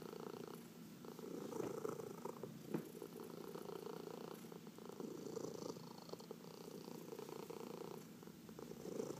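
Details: Massaged house cat purring steadily in a quiet room, a soft vibrating rumble rising and falling with each breath, a brief click near three seconds, light rubbing noises behind it.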